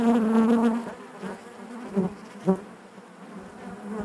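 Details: Honey bees buzzing inside their hive: a dense droning hum with a strong steady tone that wavers in pitch, loudest in the first second, then a softer mass of overlapping wingbeats with brief sharper bursts near two and two and a half seconds.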